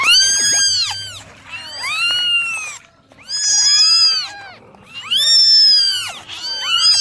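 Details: Kittens cry out while being dried in the morning: clusters of shrill, arched meows overlap, each burst lasting about a second, separated by short quiet gaps.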